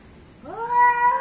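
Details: Cat in a fight between an Asian and an African cat: a single short yowl sweeping upward and then holding steady and loud for under a second.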